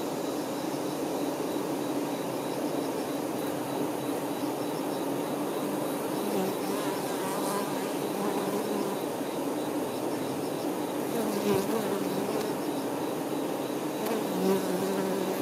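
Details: Worker honey bees attending the queen, recorded as nature ASMR: a dense, continuous buzzing drone with a low wing-beat tone, individual bees briefly rising in pitch as they pass closer, and no other sounds.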